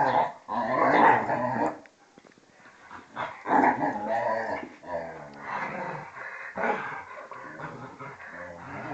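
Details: Rough, almost continuous growling and grumbling from a vizsla and a pointer at play, Tarkas two and a half years old and Noonoo twelve, rising and falling with brief pauses between surges.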